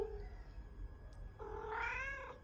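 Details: Domestic cat answering its owner in its own cat language: a brief soft vocal sound at the start, then after a pause a longer drawn-out meow that climbs and holds, with quiet room hum behind.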